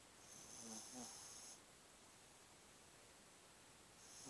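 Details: Pug named Qianqian snoring while asleep: a hissy, raspy breath lasting over a second, then quiet, then another breath starting near the end. Low-level room hush underneath.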